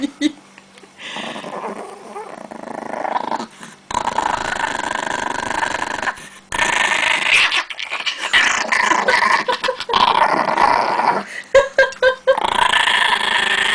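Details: Angry Chihuahua guarding pancakes at home, long stretches of rattling growls broken by short pauses, with uneven snarling bursts toward the end and a woman's voice faintly in the background.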